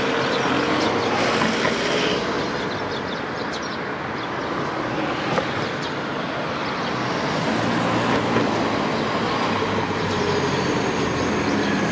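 A steady rumble of a passing train with rhythmic clatter fills the whole stretch, and no animal voice stands out.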